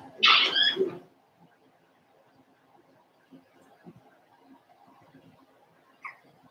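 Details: Daisy's four-week-old Cavalier King Charles Spaniel puppies in their indoor pen: a loud, harmonic squealing yelp lasting about a second opens, then soft shuffling and faint rustles, with one brief high squeak near the end.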